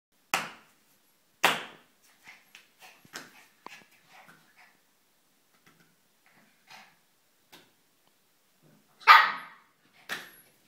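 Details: Shiba Inu dog giving sharp, loud barks, two close together at the start and two more near the end, with softer short yips and small noises scattered between them.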